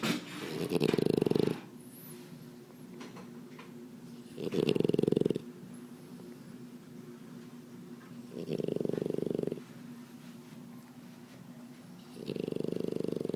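A French bulldog snores in long, rasping breaths about every four seconds, with quiet pauses between.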